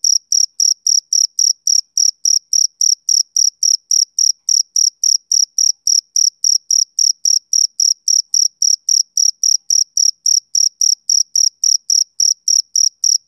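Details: A male cricket chirps through a summer evening, a continuous run of high, metallic pulses, about three per second, unvarying in pitch, with a silent background.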